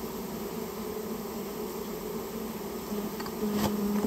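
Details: A removed colony of rare Japanese honey bees from inside a storehouse fills the air with a dense, even hum. A steadier pure tone joins near the end, with a faint click.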